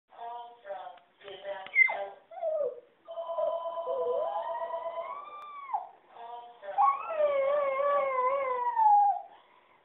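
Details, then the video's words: Dog howling in response to telemarketing phone calls: short voice-like sounds at first, then long, harmonic howls that rise slowly in pitch, waver, and fall away, the last one extended and quavering. "Singing Dog"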